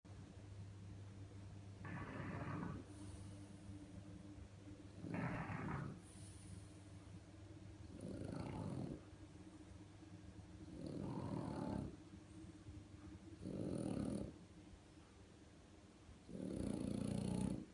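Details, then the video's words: French Bulldog named Marsik snoring like a tractor: six rough, rumbling breaths, each about a second long, recurring roughly every three seconds, with a low steady hum underneath between them. "Французский бульдог Марсик. Храпит как трактор..."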